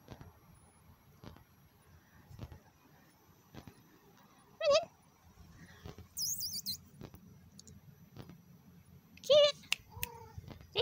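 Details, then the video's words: Domestic cat answering its owner's call on a humid day as two cats are coaxed indoors. Two brief meows come about five seconds apart, with faint high squeaks and soft rustling between them. "Cats eventually answer my call"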